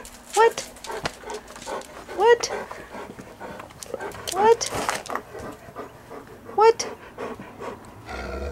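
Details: Older golden retrievers, aged 11 to 13, begging for dinner. Four short, high, upward-flicking yelps come roughly every two seconds between panting. A person talks to the dogs throughout.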